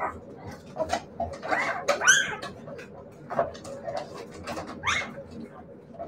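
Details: Several Siberian Husky puppies make short squeaky whimpers and a couple of rising-falling whines amid scattered clicks and light background noise.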